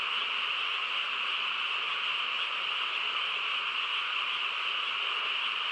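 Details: Countryside frogs in full nighttime chorus, a steady dense mesh of rapid trilled croaks at an unchanging level from start to finish.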